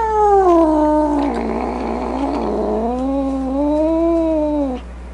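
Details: Domestic cat giving a long, drawn-out moaning yowl that dips and rises in pitch, turning rough and snarling in the middle before smoothing out again and stopping abruptly.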